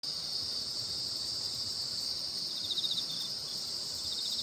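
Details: Insect chorus on a full-moon night at the Baekjung festival in Korea; steady high shrill ringing drone, with a faint pulsed trill starting midway.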